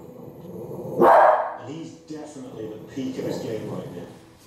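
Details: A female Cavalier King Charles Spaniel, who dislikes bears, gives one sharp, loud bark at Alaskan grizzly bears, followed by a man talking.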